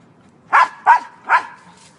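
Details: Soft Coated Wheaten Terrier barking as it climbs a tree: three loud, sharp, harmonic barks in quick succession, roughly 0.4 seconds apart, then a faint fourth trailing off against a quiet background.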